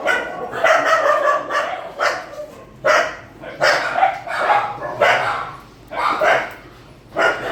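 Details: Several dogs bark during a night-time feeding at an animal shelter. Distinct, forceful barks come roughly every second, with brief pauses and voices in the background.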